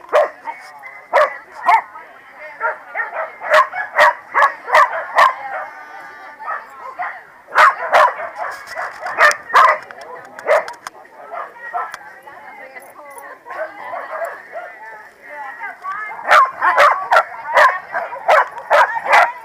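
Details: A corgi gang barks at the PWCCGS NJ Corgi Funday Sunday, 2017: volleys of sharp, mid-pitched barks and yips, a quieter stretch in the middle, then another fast burst, with people chatting in the background.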